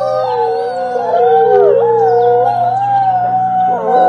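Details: Wolves in a pack howl in unison, two or three sustained tonal voices weaving close together, one dipping and rising again, forming a continuous harmonious chorus over a soft steady low hum.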